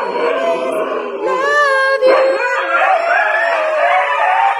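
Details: Key the husky vocalizing in a long, wavering howl. Bending, warbling tones slide up and down, with a rougher yodel-like break midway and a continuous drawn-out cry to the end.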